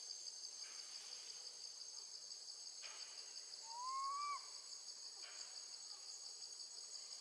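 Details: Left alone with her gentle grandmother, a young monkey screams for her mother. A single drawn-out, arching tonal cry about a second long, set against a constant high cricket drone.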